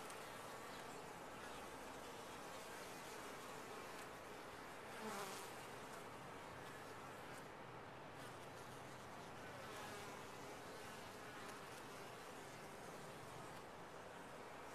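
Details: Honey bees inside a top-bar hive make a steady, dense droning hum with no breaks, and a few louder buzzes pass near the five- and ten-second marks.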